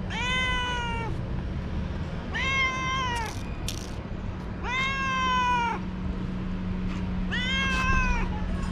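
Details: Four loud, drawn-out meows from a lively young cat playing with a moth, each about a second long and evenly spaced, with a faint steady hum and brief clicks between calls.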